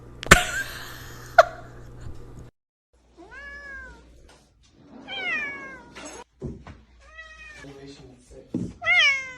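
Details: Domestic cat meowing indoors: after two sharp clicks and a pause, a series of clear rising-then-falling meows, some short and some drawn out, ending with a louder plaintive meow.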